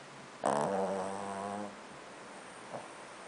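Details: Sleeping pet dog snoring: a single drawn-out, buzzy, throaty snore lasting just over a second, with a soft faint puff about a second later in an otherwise quiet room.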